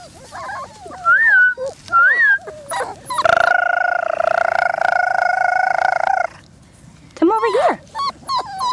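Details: Four-week-old German Shorthaired Pointer puppies from one litter, outside for the first time: high, rising-and-falling whines, then a long, steady, wavering cry lasting about three seconds, with women's voices talking to the pups.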